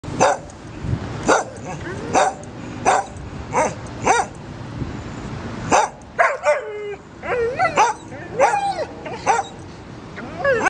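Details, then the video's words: A poodle barks in a quick series of sharp, high barks, roughly one every second, then breaks into whiny, yelping, pitch-bending yips, with short quiet gaps between bursts. "Poodle Barking Sound Effect"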